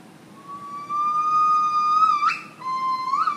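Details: Gibbon morning serenade at Lincoln Park Zoo, Chicago: a long steady whistled note near one pitch, swelling louder, then breaking sharply upward and dropping into a short rising second note.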